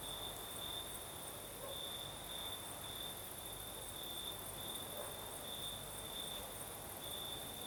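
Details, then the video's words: Crickets chirping through a Crimean night: a high, sustained trill broken into faint rhythmic pulses, accompanied by steady breezy hiss and a distant higher-pitched insect band. "Сверчки поют"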